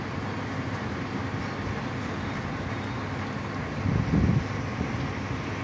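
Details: Steady wind buffeting and a low engine-like rumble fill the recording, swelling briefly near the end, with no animal voice present.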